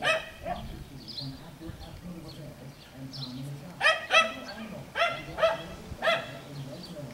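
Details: Playful Schnoodle puppies (Miniature Schnauzer mother, Miniature Poodle father) on an Iowa farm give a quick run of sharp, squeaky yips and barks after a quieter start, with faint murmuring voices underneath.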